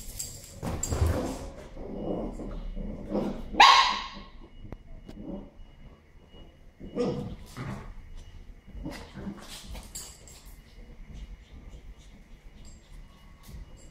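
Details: A young female Pembroke Welsh Corgi in Israel, born 12 August 2014, gives short, sharp barks in scattered bursts, some rising into higher yelps, with quieter stretches of faint whimpering and soft background noise.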